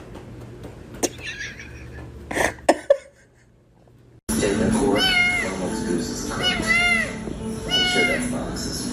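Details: Domestic cat meowing three times, each call arched and falling, roughly a second apart, over a steady background hum after a few taps and a short silence.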